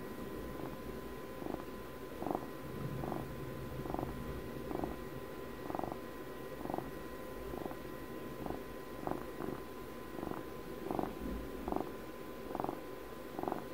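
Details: Domestic cat purring in a close, quiet recording, a low continuous rumble swelling in soft regular pulses roughly once per second with each breath, with a faint steady electrical hum in the background.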